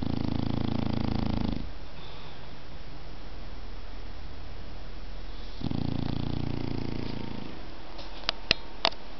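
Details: A sleeping dog snores indoors: two long, low rumbling breaths, each nearly two seconds long and about four seconds apart, with soft steady breathing between them and a few sharp clicks near the end.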